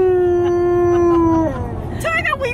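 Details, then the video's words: Alaskan Malamute howling inside a car about thirty minutes into a road trip; one long steady tone held for about one and a half seconds, then sliding down, followed by wavering yodel-like notes over road rumble. "Malamute Howling In Car On A Road Trip"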